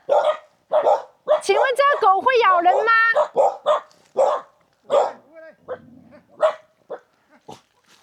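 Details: Dog in an almost abandoned mountaintop village in Hunan, China, barking at approaching visitors. Sharp barks come in bursts at the start and the end, with people talking over them in the middle.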